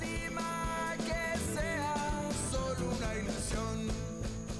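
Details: Upbeat music with guitar, drums and steady melodic lines, with no animal sounds.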